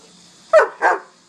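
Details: German Shepherd named Sheba, obeying commands during a training session, gives two loud, sharp barks in quick succession, the second slightly longer, over a steady background hum of crickets.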